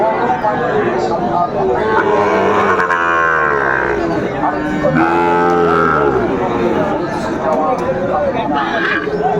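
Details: Sahiwal cattle at a cattle market in Tangail, Bangladesh, on 2 May 2024: long, low, drawn-out moos with rising and falling harmonics, heard over steady crowd noise and people talking.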